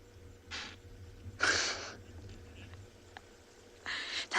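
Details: Impala at sunset on 4 July 2020 in Tswalu Kalahari Reserve, South Africa, give alarm snorts, harsh explosive bursts of breath repeated every second or two, a frequent intense call warning of a predator.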